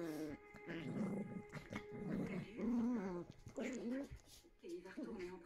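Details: Two Yorkshire Terrier puppies at play, recorded Feb 4th: overlapping wavering growls and short whiny grumbles in close succession, with faint voices and a constant background tone.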